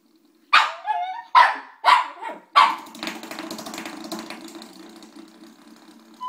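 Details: Chihuahua puppy fascinated with a door stop, giving four sharp high barks about half a second to a second apart, followed by scuffling and rustling noise.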